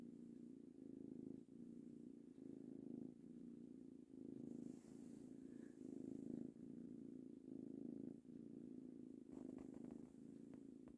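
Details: Purring of a male kitten aged three months while being petted; sustained low vibrating purr in repeated breath cycles, with faint light rustling toward the end.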